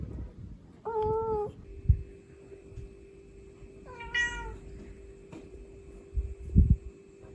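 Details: A mother cat calls to her kittens in a live recording: a short meow, then after a pause a brighter, rising meow, with a steady electrical hum and a few soft knocks and thumps in the room.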